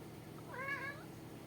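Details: Young male Maine Coon, a long-haired domestic cat kept indoors, gives a single short meow that rises and then falls, with clear stacked harmonics over a steady low room hum.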